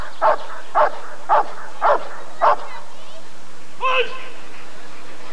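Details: Rottweiler at the 1994 ADRK Körung breed survey: five loud, deep barks at a steady beat about half a second apart, then a single higher, drawn-out bark, over a low crowd murmur and steady hum.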